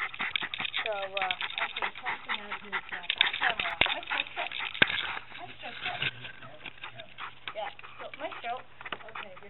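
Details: Maestro the Lakeland Terrier, a canine studio assistant, sings a duet with a piano tuner at St. John's Music in Calgary, Alberta, recorded on a collar-hung pet camera: wavering, howled tones rising and falling amid human voices and rustling collar noise.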